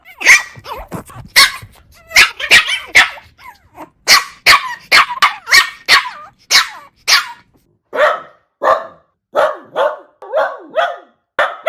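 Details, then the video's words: Rapid, high puppy barking, several yaps per second at first, then slightly lower, rougher barks spaced more evenly toward the end. "Puppy Barking Sounds. 20 Adorable Puppy Barks!"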